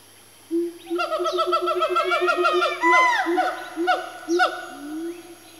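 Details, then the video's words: Siamang family of four swinging around and working their calls into a frenzy; dense rapid barking notes pour out after half a second, peaking with a loud upward-sweeping shriek near three seconds, then slowing. "Siamang's Calling"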